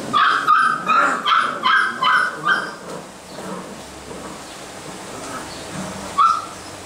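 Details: Basset Hound puppies in a kennel in Brazil: a run of about eight quick, high, tonal yips in the first two and a half seconds, then quieter background with one more sharp yip near the end.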